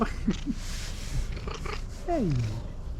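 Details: A fluffy female tabby cat comes to people meowing excitedly for affection and food, giving short chirping trills, then a drawn-out meow sliding downward in pitch.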